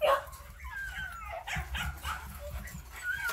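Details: Six-month-old yellow male Phu Quoc Ridgeback at a kennel in Saigon, giving short, high, wavering whimpers and yelps in quick succession over a steady low background rumble.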